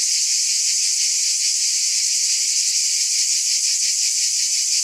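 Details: A dense, continuous high-pitched droning hiss from many cicadas, with a slight rapid throb running through it and no pauses or other noticeable sounds.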